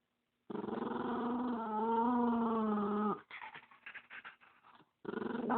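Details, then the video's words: Spumoni, a dog protective of the dog next to him, gives a sustained harmonic growl of nearly three seconds that wavers slightly in pitch, followed by short scraping noises and a second growl starting. "Spumoni makes weird noises part 1"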